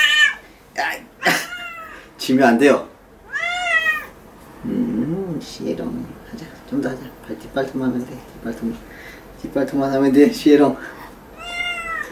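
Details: Sierra the cat resisting nail trimming at home, letting out scattered plaintive meows amid a woman's steady chatter, rustling and clipping sounds.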